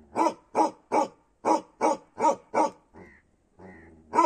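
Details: Bakharwal dog, a Kashmiri breed, barking in a steady run of loud, broad, harsh barks about every third of a second, seven in a row, then a brief pause with a couple of softer whining, tonal sounds before one more bark.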